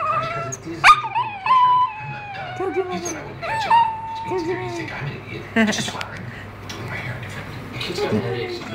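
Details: A female house dog that seems to believe she is human, "talking" in a run of whining, howl-like tones. Each begins with a high yelp and then settles into a level note, followed by quieter, murmuring whimpers.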